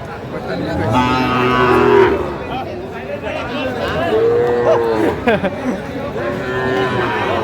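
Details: Sahiwal bull calf at a cattle market on 15 January 2025 gives three drawn-out, tonal moos, each about a second long, spaced a few seconds apart, with crowd noise behind.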